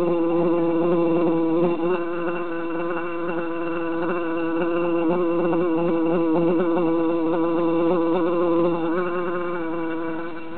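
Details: A steady, dense drone from three bees confined in a jar on a summer day, buzzing evenly with quick, regular wavers in pitch.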